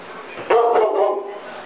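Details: A dog during a standoff on the stairs, where Kira's passive-aggressive stance keeps Collin at bay, gives one short, loud, harmonic bark-like yelp lasting under a second. Quiet indoor background.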